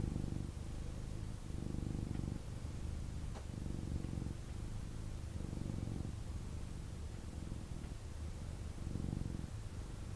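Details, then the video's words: Pet kitten, male, purring strongly after being picked up for cuddles; continuous low, throaty rumble pulsing in cycles of about one to one and a half seconds, with one brief soft click midway and quiet room background. "Kitten Purrs and Snuggles"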